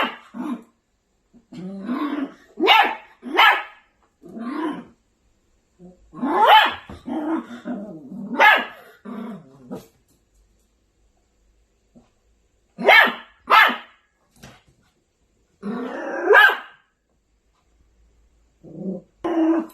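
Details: An angry Maltipoo puppy alternates throaty growls with shrill yapping barks in uneven clusters, pausing between outbursts, inside a small room; a person says hello afterwards.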